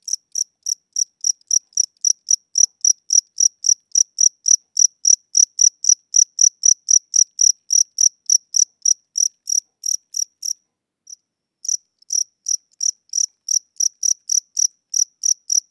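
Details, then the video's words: A cricket indoors at night, described as old or tired with weakening wings, chirping at a slow tempo: short high pulses repeated about four per second, with a brief pause near eleven seconds before the steady chirps resume. "Cricket Chirping Sounds: Low Battery"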